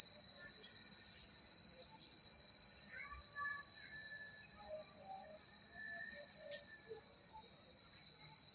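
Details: Crickets chirping at night in secluded countryside: a steady, dense high-pitched trill that never pauses, with scattered faint, lower chirps and short whistled notes drifting underneath.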